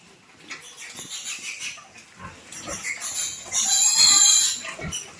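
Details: Squealing of piglets being moved into fattening pens: shrill, harsh cries build from scattered shorter squeaks into one long, loud, strained scream near the end, with scuffling underneath.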